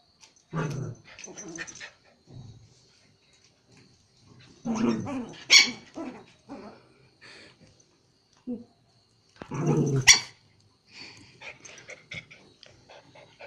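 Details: A Pomeranian playing with a Japanese Spitz in Kathmandu, Nepal. Short bursts of rough growling and barking come every few seconds, separated by quiet gaps.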